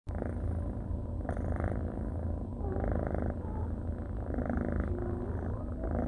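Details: Orange and white tabby kitten, a young male once dumped in a fast-food parking lot, purring during a cuddle: a steady low rumbling purr that pulses in slow regular waves through the whole stretch, with no other sounds.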